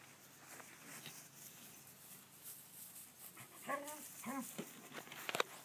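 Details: Bandit, a Cavalier King Charles Spaniel, out chasing butterflies: a quiet stretch of outdoor hiss, then two or three short, strained whining yelps in quick succession near the end, with a faint clatter afterwards.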